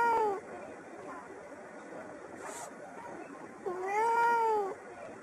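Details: Domestic cat indoors in the morning, perched by a window after grooming and meowing greetings at birds outside; one short meow opens, then a longer, drawn-out, slightly arching meow follows about four seconds later, with quiet room tone between.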